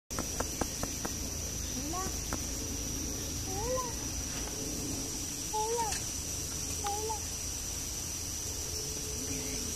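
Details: Brown spider monkey, the variegated spider monkey endemic to Colombia, gives several tonal calls with harmonics that rise and then fall, spaced a second or two apart. A steady high hiss runs throughout, with scattered sharp clicks early on.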